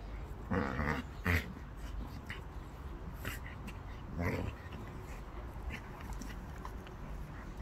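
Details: Staffordshire Bull Terrier; play growls; play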